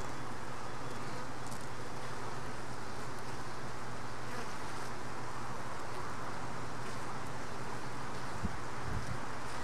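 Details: A colony of honey bees at a hive entrance, a worker carrying a mite inside. Long, level low buzzing drone with a steady hum line, faint clicks, and a couple of knocks near the end.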